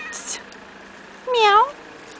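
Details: A domestic cat up a tree in the evening gives a single drawn-out meow that dips and then rises at the end.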